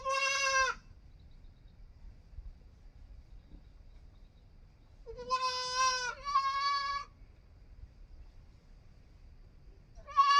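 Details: Young goat kid bleating: high, harmonic-rich cries with a slight wavering tremor, one short cry at the start, a pair of bleats near the middle, and another beginning at the end, separated by quiet gaps with low background hum.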